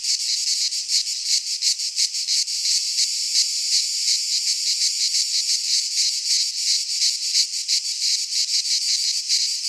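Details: Midsummer chorus of cicadas in Greek pine forest, a shrill, unbroken buzz pulsing quickly at almost three beats per second, with slight swells in volume and nothing else audible.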